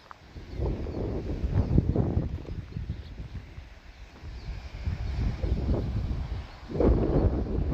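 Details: Northern elephant seals, quite a few hanging out in the water along the Piedras Blancas coastline, a Marine Protected Area, heard from the coastal bluffs. Deep, throbbing pulses run in rapid rough series like a revving engine, with wind noise behind.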